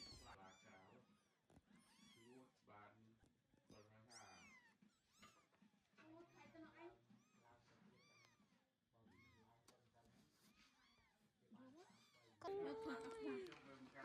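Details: Very young farm kittens, eyes just opening, with their protective mother cat who keeps carrying them away one by one; rapid high arched mews repeated several times a second, then one louder drawn-out cry near the end, with people talking throughout.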